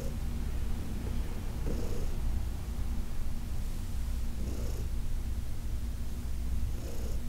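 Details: Heidi, a senior shelter cat from the Humane Society of New York City, purrs contentedly under a massage in August 2021: a low, even rumble lifted by gentle breathy pulses about every two and a half seconds.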